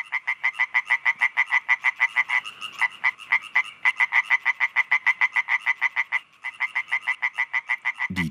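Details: European tree frogs croaking loudly at night after sunset around garden ponds by the Mulde near Wurzen, Germany, calling in and out of water; dense, rapid, even rasping pulses about three per second, overlapping callers, one brief low thump at the end.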